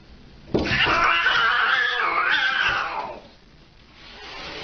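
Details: A Siamese cat gives one long, loud, raspy meow that wavers and fades after about two seconds.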